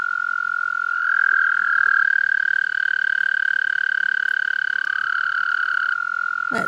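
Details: Toads give long, steady, high musical trills, one overlapping another, as mating calls while swimming in water; one male is calling.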